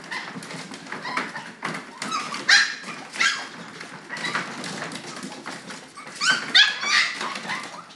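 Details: Several red and chocolate Toy Poodle puppies whimpering and yipping together: overlapping high, squeaky cries with bright overtones. The loudest bursts come near the middle and toward the end, over a busy background of rustling.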